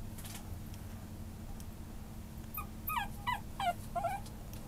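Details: Maltese-Chihuahua mix dog whining in a quick run of five or six short, descending, squeaky yelps in the second half, over a constant low background hum.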